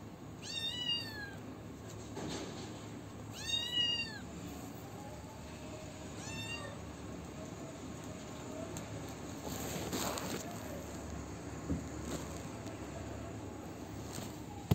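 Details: A small kitten, the one left behind when its siblings were taken away and now being fed, meows three times, each call high and falling and roughly three seconds apart, followed by quiet rustling and background hum.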